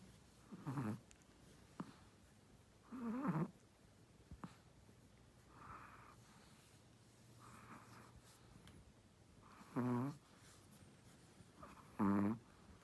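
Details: A pregnant first-time-mother Shih Tzu snores in short, rasping bursts with long quiet pauses between breaths.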